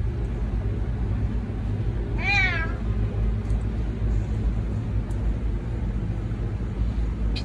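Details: ['Female house cat that comes when called, begging to go outside despite the rain, utters a single bright meow that rises then falls, about half a second long, over a steady low background hum with faint clicks.']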